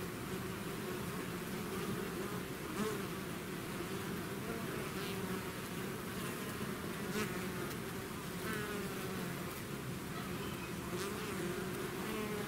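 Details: Bees swarming out of their hive make a thick, unbroken drone, with brief louder buzzes of single bees passing close now and then over the steady hum.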